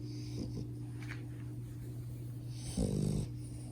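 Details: Sleeping French Bulldog puppy Max, indoors, with soft breathing and faint snuffles, then a short harsh snort-like snore of about half a second near the end, against a steady low hum.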